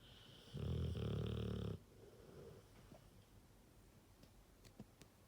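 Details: Sleeping Rottweiler giving one loud, low, rattling snore of about a second, followed by a soft exhale and faint clicks in a quiet indoor setting.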